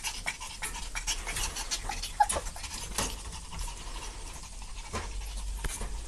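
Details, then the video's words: Playful puppies wrestling: quick airy pants and short scuffs, a small squeak in the middle, with faint rustling throughout. "じゃれあう子犬たちPuppies playing"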